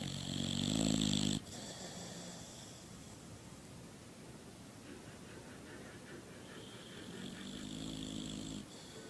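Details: Sleeping dog snoring: a loud, rasping inhaled snore lasting over a second, then quiet breathing, then a second, longer snore near the end.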